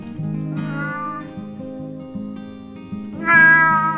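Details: Domestic cats or kittens on a farm: two drawn-out meows, one near the start and a louder, higher one at the end, over steady plucked-guitar background music.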